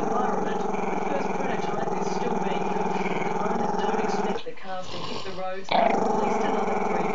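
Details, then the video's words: Camera-shy Maltese-Shih Tzu puppy growling at the camera: a sustained rough rumble lasting about four seconds, a short wavering break, then the growl resumes loudly. "crazy long growL"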